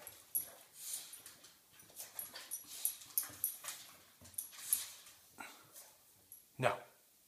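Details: Georgi the bulldog barks indoors while jumping around to pester Kuba, an American Bulldog trying to sleep; short sharp yips and barks come in quick irregular bursts, with scuffling between them and one louder bark near the end.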